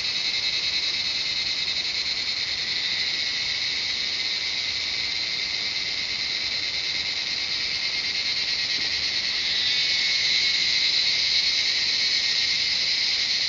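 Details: Chorus of cicadas in the jungle of Shivapuri Nagarjun National Park, north of Kathmandu, Nepal: a continuous piercing buzz with a fine rapid pulsing, swelling slightly louder and gaining a thin whistled overtone near the end.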